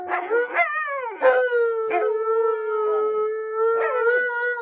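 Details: Pair of Alaskan Malamutes, Tonka and Monroe, duet-howling on a waterbed at home; several drawn-out steady harmonic howls, each opening with a short sharp rise, voices overlapping in a close chorus.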